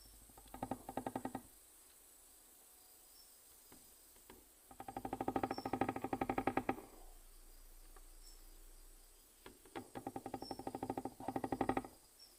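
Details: A Nesonotus reticulatus katydid from Guadeloupe knocks and stridulates in bursts of rapid, dry ticking pulses, each lasting about a second, with brief pauses between.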